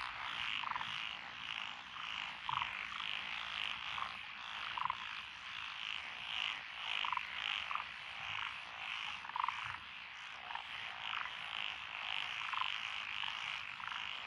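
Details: Japanese tree, black-spotted pond, wrinkled, Schlegel's green and forest green tree frogs in lotus rice paddies, Echizen City, Fukui, Japan, 12 June 2021; a busy chorus of pulsed, rhythmic croaks, sharper individual calls popping out repeatedly above the mass.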